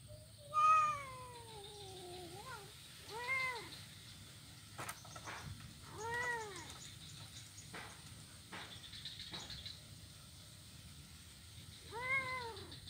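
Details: Blind kitten at play on a wooden ironwood bridge, Jalan Kolonel Sugiono, Kuala Kapuas, Central Kalimantan, 25 November 2019; four plaintive meows spaced a few seconds apart, the first long and falling, the others short arched mews, with clicks and background hiss.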